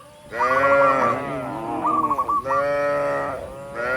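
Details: Dozens of tame cattle walking up a rural road toward the barn, mooing to call other cattle; two long, drawn-out, deep harmonic moos, each with a short burst of chirpy, bird-like notes over it.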